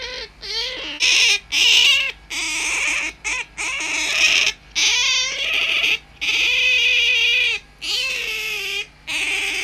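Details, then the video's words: Home-kept tame otter, a whiskered squeaker, giving a restless mix of short chirping squeaks and longer drawn-out wails, irregular and bursting on and off, in a small indoor room with faint hum. "Усатая пискля или Выдра вместо будильника"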